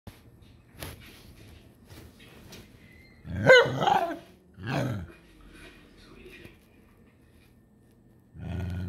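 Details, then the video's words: A frustrated Shiba Inu gives two harsh, rising-and-falling grumbling vocalizations near the middle of the recording, followed by a person's voice at the end. "A very frustrated shibe"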